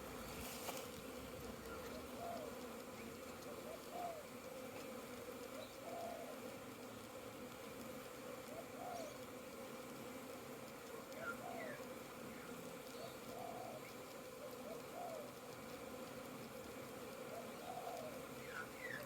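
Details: Many honey bees on orientation flights around a very busy hive with flow frames, 22 September 2022; a steady mid-pitched hum runs throughout, with repeated swelling whines as single bees pass close.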